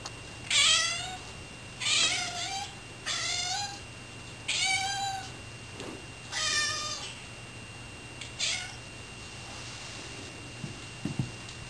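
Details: Pet cats meowing excitedly indoors as a can of tuna is opened: six loud, wavering meows with rich harmonics, each under a second long, spaced about every one to two seconds, followed by quieter rustling.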